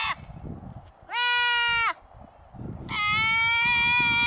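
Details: At the Mace Ranch Wildlife Area, goats kept to mow the grass let out two strained, quavering bleats, the second longer and sustained, with quiet outdoor rustle between them.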